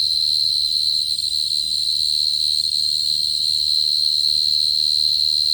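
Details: Continuous shrill trilling of a short-tailed cricket, played as a lure. The tone stays level and unbroken, with faint low background hum.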